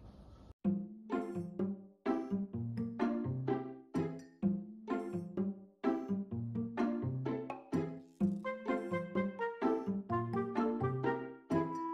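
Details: Cheerful children's-style music with plucked, chiming notes in a regular bouncing rhythm, and no animal sounds.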